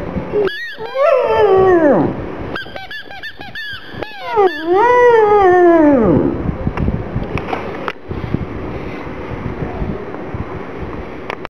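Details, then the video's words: Gong Fu the black pug cries, sad for the little ball: quick squeaky yelps and arching whines that rise then fall over the first six seconds, fading into quieter rustling noise afterward. "Gong Fu is crying with the ball"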